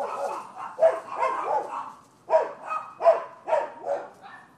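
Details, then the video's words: Dogs next door bark persistently at a Florida rental property, 12/7/15: a rapid run of loud, rough barks, several in quick succession, a brief pause, then more barks repeated about every half second. "Barking Dogs"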